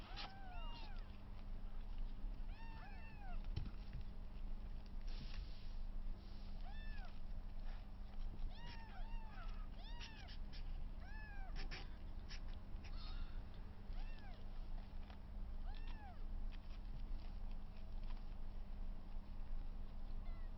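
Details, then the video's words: Three 22-day-old kittens, rescued at birth with placenta attached, playing together for the first time; the larger one wrestles the two smaller ones. Frequent overlapping high, arching mews over constant low hum. "赤ちゃん猫 初めてのじゃれあい＆猫キック"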